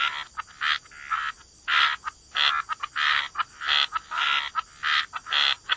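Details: Wetland frogs croaking by the water, distinct short raspy croaks repeated in bursts about twice a second, some doubled, with brief quiet gaps between calls.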